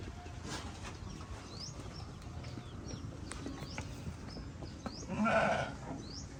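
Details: Sheep (Ovis aries), bleat.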